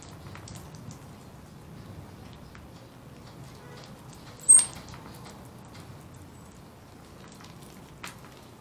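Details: Bubba, a round-tailed ground squirrel said to be ready for hibernation, gives one brief, very high, thin whistle midway through, with a fainter chirp near the end over low rumbling background noise and scattered clicks.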